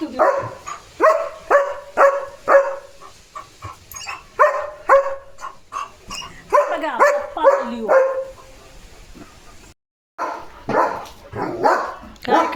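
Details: German Shepherd Leo barking non-stop after spotting another dog outside; rapid irregular volleys of sharp barks and yips, a quieter stretch, a brief silent gap, then more barking.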